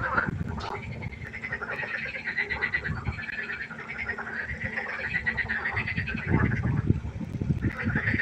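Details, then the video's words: Frogs croaking at night beside a pond: a continuous chorus of pulsed, nasal calls, mixed with deeper rapid knocking croaks that grow stronger near the end. "1 Stunde Froschkonzert. Frosch Geräusche quaken. Frösche Geräusche Konzert"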